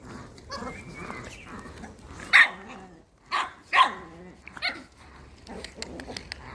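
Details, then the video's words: Four or five sharp, high yaps come from Gioconda, a female Chihuahua kept as a pet in Simferopol, Crimea, separated by short pauses, with quiet room noise between them. "девочка чихуахуа"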